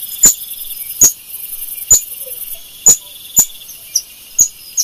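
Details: Screaming golden lion tamarin giving piercing high chirps roughly every second, the later ones softer and closer together, above a steady high-pitched insect hum.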